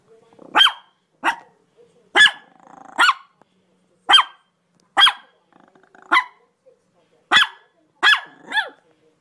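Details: Dogs barking in a series of about nine sharp, harmonic barks spread irregularly over nine seconds, some clipped and short, others longer and slightly drawn out, with quiet gaps between bursts and no other clear sounds.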